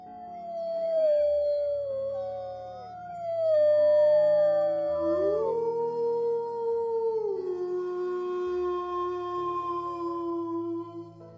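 Several wolves howl together in long, smooth, sliding tones that overlap into a chorus.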